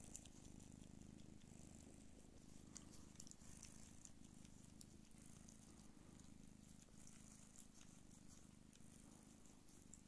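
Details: Don Sphynx mother cat Pūkė nursing her kittens gives a strong, even, rapidly pulsing purr for the full ten seconds, with faint high clicking from the suckling kittens.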